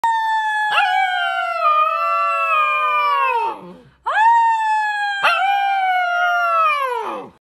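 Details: A Siberian husky puppy howls loudly and cleanly: two long, clear, slightly falling wails of about three seconds each, separated by a short breath, with rich harmonics and no other sounds.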